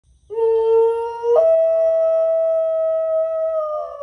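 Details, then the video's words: Domestic dog howling in answer to coyotes: a long, steady, tonal howl that holds one pitch, then steps abruptly higher and sustains there for nearly three seconds with rich harmonics, fading slightly at the end. "Call of the wild! He thinks he’s part coyote."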